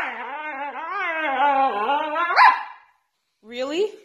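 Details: Female pet Siberian Husky freaking out over her cardboard being taken away: one long, wavering, moaning howl with a sharp upward yelp near the end, then a shorter whiny howl after a pause, indoors.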